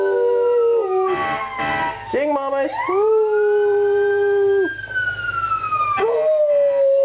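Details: Pet dog Athena howls at fire trucks in a run of drawn-out, wavering howls that slide up and down, overlapping a smooth rising and falling emergency siren.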